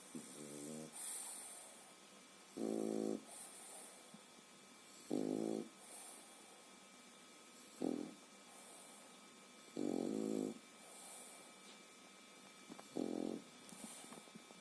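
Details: A three-and-a-half-month-old French Bulldog puppy sleeping soundly and snoring. Six loud, rasping, low snores come roughly every two seconds, separated by quiet breathing, with a faint steady hum in the background.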